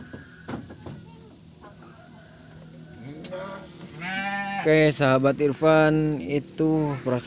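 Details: Garut sheep ewe giving birth to triplets: quiet talking and shuffling, then a series of loud, wavering, nasal bleats repeated in close bursts over the last few seconds.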